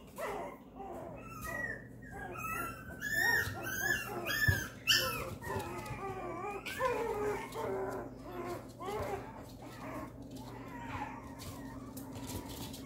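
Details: Two tan-and-white Papillon puppy sisters whimpering: a dense stream of high, wavering whines and squeals with rich overtones. The calls overlap and repeat almost twice a second, over a low steady hum.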